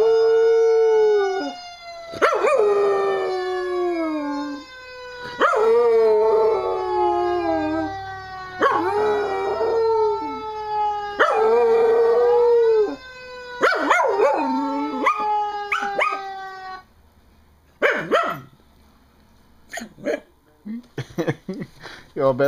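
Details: Pet dog howling in reaction to a fire engine siren simulated from the web: a run of about five long, wavering howls that each slide downward, followed by quieter scattered noises after the howling stops.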